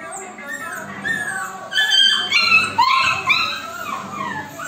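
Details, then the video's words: A female Labrador Retriever puppy asks her owner for food with short, rising and falling whines, mixed with a woman speaking Tamil. "Labrador puppy asking for food|arguing with mom for food"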